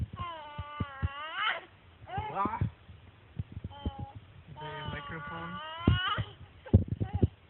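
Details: Reily, an upset cat, making noise: long drawn-out wailing cries with strong harmonics, rising and falling, in several bouts, mixed with low thumps and handling sounds.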